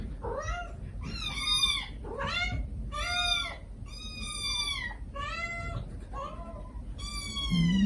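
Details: Begging calls from stray kittens, siblings of a litter of five rescued with their mother, crying sweetly in a steady run of about eight bright, arching meows with strong overtones, each under a second long and packed closely together.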